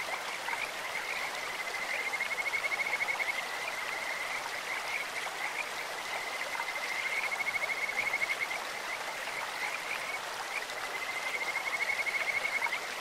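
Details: Kajika frog calls over a clear mountain stream, their voices as sweet as a bird's or an insect's: three separate high pulsed trills, each one to two seconds long, spaced about four seconds apart over steady flowing water.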